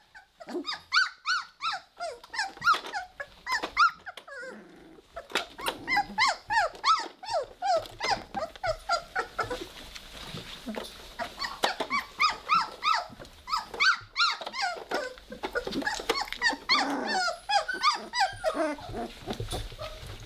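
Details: Three-week-old Weimaraner puppies playing together, a dense run of squeaky, rising-and-falling little growls and yelps overlapping almost nonstop, several pups calling at once with brief pauses.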